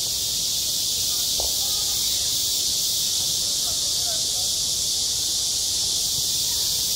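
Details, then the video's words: High-pitched cicada chorus hissing steadily over a school playground in midsummer, with a short sharp knock early on and faint distant voices and shouts in the low background. "한 여름 운동장에서 매미가 울고 있다 - 여름의 소리, 학교 종소리, 매미 울음소리"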